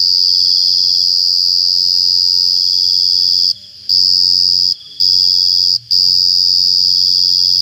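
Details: A cricket's continuous shrill trill rings at a steady high pitch, broken three times by short pauses of under half a second, then picks up again each time at equal loudness.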